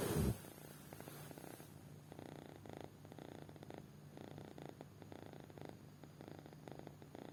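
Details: Sleeping kitten snoring deeply after a brief knock at the start, then regular raspy breaths in a slow, even rhythm with a low continuous rumble underneath.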